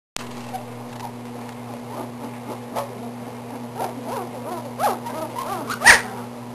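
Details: Belgian Malinois puppies at 18 days old, growing bigger and more active, give soft high squeaky whimpers in short scattered bursts that grow busier and louder toward the end, over a steady low electrical hum.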